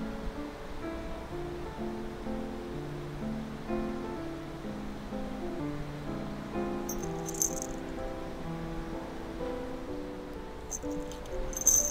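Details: Gentle background music with soft melodic tones and a few brief rattling bursts near the end, with no animal sound audible.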